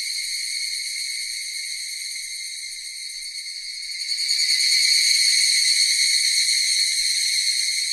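Cicadas drone in a continuous, high, buzzy chorus that swells louder midway.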